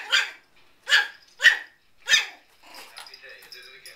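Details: An 8-week-old miniature Schnauzer puppy barking for the first times: four crisp, high yaps spaced about two-thirds of a second apart, followed by softer murmuring room sound.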